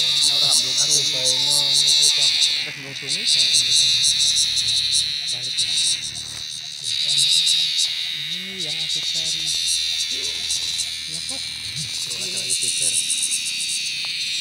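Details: Giant cicada caught in a field, very loud: a dense, harsh, steady buzz that surges and dips in loudness several times, with a man speaking Indonesian over it throughout.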